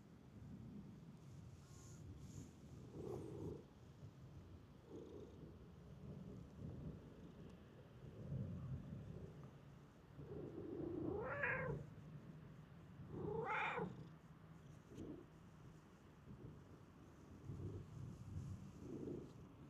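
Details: Free-roaming park cat hurrying toward someone it recognises utters two rising, drawn-out meows a couple of seconds apart, with scattered softer sounds and low rumbling noise throughout.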